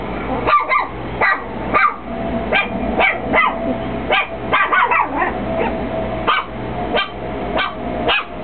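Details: Chihuahua barking at nothing in particular, repeated high yappy barks, singly and in quick pairs, roughly every half to one second, over a constant low electrical hum.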